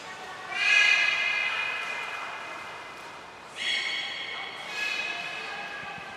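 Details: Belugas Gray and Mirai during a training session at Port of Nagoya Public Aquarium, 15 June 2022: a loud, buzzy harmonic call held about a second, fading, then two shorter rising tonal calls a few seconds apart over faint background voices.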